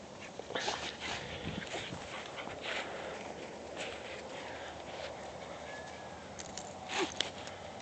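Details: Shiba Inu puppies playing in a yard give short, scattered yips and thin whines, with bright broadband bursts between them.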